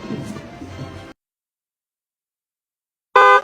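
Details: Roughly a second of music and background noise, then silence, then a short, loud, steady horn-like tone with no animal voice.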